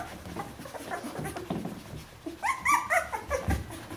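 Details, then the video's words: Bernese Mountain Dog puppies, fourteen days old, in a litter indoors; short high squeaky whimpers and yelps rise in the second half, with faint rustling before. "Jeanies und Captains Welpen 14 Tage alt Bernese Mountain Dog Puppy"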